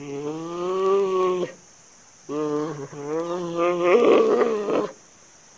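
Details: Panda bear giving two long, low, tonal moans with strong harmonics, each over a second long, the second rising into a harsher, wavering ending, separated by near silence.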